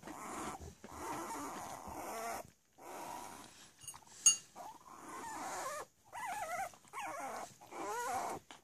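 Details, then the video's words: Cavalier King Charles Spaniel puppies, three weeks old, playing together: breathy grumbling growls with rustling, then wavering high whimpers near the end. "3 week old Cavalier puppies playing."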